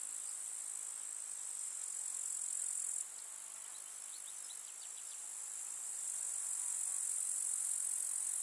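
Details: Summer meadow grasshoppers in the countryside keep up a bright, constant high-pitched chirr. A short run of quick clicks sounds in the middle, and the volume dips then swells again.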